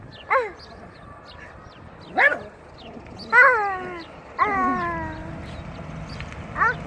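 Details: Jiraiya the dog gives five high, ringing barks, some drawn out into whiny, falling yelps, spaced irregularly about one to two seconds apart against low background noise.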